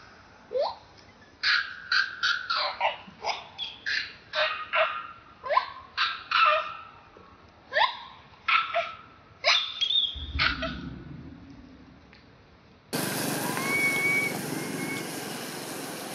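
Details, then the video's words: A baby macaque near the temples of Siem Reap Province cries for milk when its mother refuses to nurse, appealing to an aunt: repeated sharp high squeals in uneven bursts, then a stretch of steady broadband background noise. "Milk... Milk... Pitiful Anya crying tantrum request aunty duchess help because mum not nurse her"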